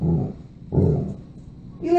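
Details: A talkative dog makes two low, rumbling, growly vocal bursts, the second longer and wavering like grumbled talk. A higher voice starts at the very end.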